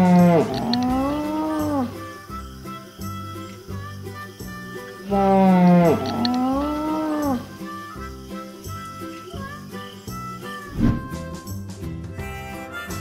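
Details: Moose calling twice, about five seconds apart: drawn-out, low, mooing moans that bend downward. Steady music plays underneath, and a brief clatter sounds near the end.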